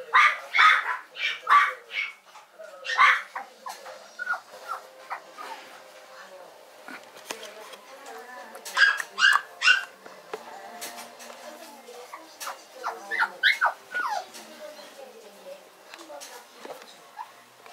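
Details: A Yorkshire Terrier, recorded November 16, 2012, voices sharp, high-pitched yips in uneven bursts, mixed with thin whining notes; quiet human speech and room noise between calls.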